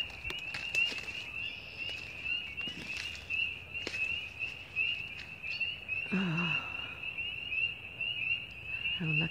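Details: A steady, high-pitched chorus of frogs trills without pause in woods near a backyard in early spring, April 2017, with a brief human voice partway through.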